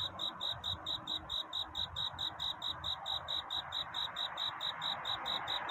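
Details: Cricket singing at night to find a mate, a courtship song: steady high chirps, about four each second, unbroken through the whole stretch, over a soft low background hum.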